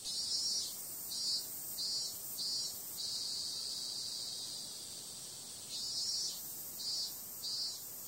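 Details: Summer-night cicadas: a piercing continuous whine with quick surging pulses near the start, a long even buzz in the middle, and renewed pulsing toward the end.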